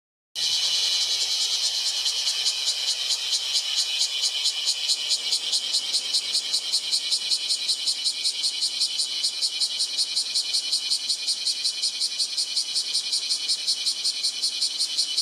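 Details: Bear cicada calling on 8 July 2024: a loud, harsh, rapidly pulsed buzzing that pours out continuously, with pulses repeating roughly two to three times per second and a steady, high, hissing tone throughout.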